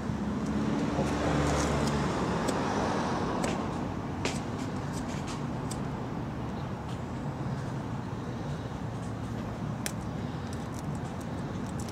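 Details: Steady roadway traffic rumble with vehicles passing, louder in the first few seconds, with scattered sharp clicks and no animal voices.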